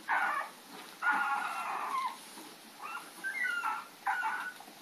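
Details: Puppies chasing Lady on April 4, 2013, giving high, drawn-out whining yelps in four or five bursts, some sliding downward, with a constant background hiss between them.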